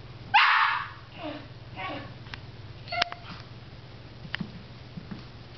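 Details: A dog reacting on seeing a squirrel: one loud, harsh bark near the start, then a few faint, softer yelps and sharp clicks over a steady low hum.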